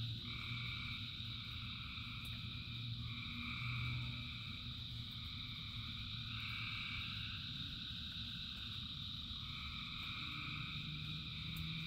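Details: Thousands of frogs singing together in rain: a dense, unbroken chorus of layered trilling tones at several pitches, with a steady low rumble of rainfall beneath.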